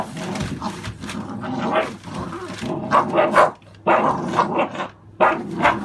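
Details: American Staffordshire Bully dogs from a litter born 11/16/2017, barking in loud, broad bursts of several closely spaced woofs separated by short pauses, with a background hum.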